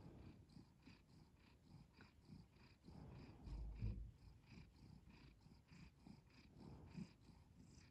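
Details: Cat purring steadily, continuous low vibrating rumble with fast pulsing texture, slightly louder swell midway, soft background hiss throughout.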